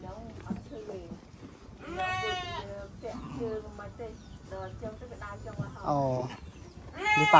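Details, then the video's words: Several sheep calling in a group, giving shaky, wavering bleats of differing pitch that overlap, with a loud final bleat at the end and softer calls between. "sheep sound"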